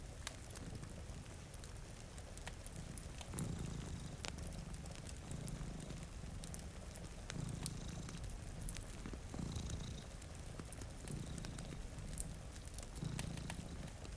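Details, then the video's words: Cats dozing by a rainy window with a fire burning, a soft rumbling purr rising and falling in regular cycles about every two seconds after a quieter start, accompanied by crackling logs and steady rain. "Purring Cat"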